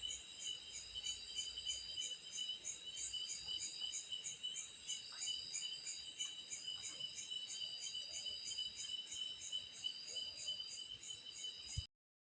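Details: At night, a cicada sounds a sustained high metallic buzzing in layered tones, pulsing evenly about three times per second, with faint scattered chirps underneath before the sound cuts off abruptly.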